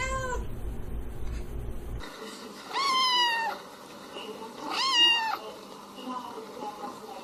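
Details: Cat giving a short meow, then two long, loud, rising-then-falling meows about two seconds apart, followed by fainter mewing against quiet room background.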